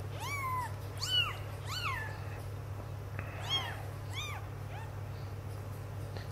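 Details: Sphynx kittens, six days old, indoors while their carpet is changed. They give a series of thin, high, arching mews, about one every second, over a steady low electrical hum.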